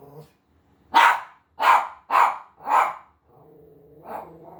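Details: Havanese dog barking at his own image on television: four sharp, punchy barks in quick succession, then a low rumbling growl and a softer closing bark.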